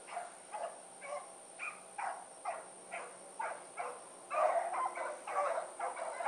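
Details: Blackreek pack, four dogs named Choco, Dino, Johnny Ringo and Mingo, on an evening run 8-16-2014; spaced distant barks swell near the end into a louder, denser chorus of overlapping voices, a thin high tone persisting.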